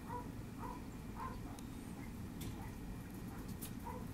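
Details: Twenty-day-old puppies whose eyes have just opened, filmed 18 December, give short nasal whining squeaks about twice a second, each a brief tone with a higher overtone, over constant low rumbling background noise.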